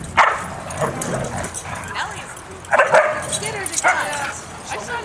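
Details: Huskies, two dozen of them, running, playing and wrestling together on 4-23-10. Sharp yipping barks burst out near the start, again around three seconds and near four seconds, over a steady background of pack noise.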